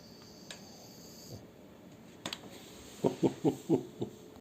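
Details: French Bulldog named Shturm snoring with a new ball, one he took from children outside. Faint clicks lead into a quick run of five low, grunting snorts near the end.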